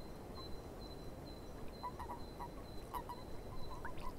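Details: Swamp frogs give faint, short, mid-pitched croaks in loose clusters, under a thin, steady high whistle repeated like an insect or bird, over a quiet background hiss.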